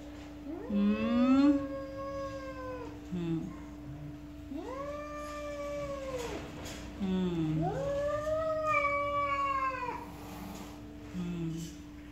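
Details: A jealous house cat yowls loudly in three long, drawn-out wavering cries that rise and then fall, each several seconds long. A steady electrical hum runs underneath, with faint music.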